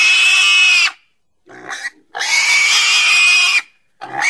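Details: Pig squealing in two long, shrill, raspy bursts of about one and a half seconds each, with a short lower grunt-like sound between them and another squeal starting at the end.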